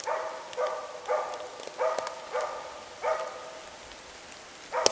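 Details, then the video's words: Moose-hunting dog Zakko keeps a cow and calf at bay near dark. Strong, evenly spaced barks sound roughly every second, each rich and mid-pitched, with rain pattering throughout. "zakko skällde ståndskall på ko och kalv"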